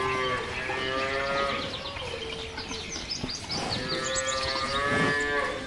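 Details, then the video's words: Cattle lowing, with several overlapping, steady, drawn-out moos through a busy background of chirping birds and rustling. "Cow Sound: Cow Voice | Cow Voice Sound | Cow Ki Awaz | Gay Ki Awaaz"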